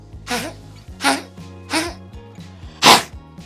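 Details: A dog gives four short, dry, hacking coughs about a second apart, a cough that may come from the trachea folding in and causing a tickle.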